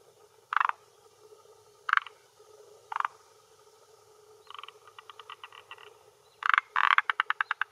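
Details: Male forest green tree frog on a hillside pond shore in Japan, early June around dusk, calling with vocal sac to hold territory and attract females; three separate grating croaks, then quicker clicking series building into a loud rapid rattle.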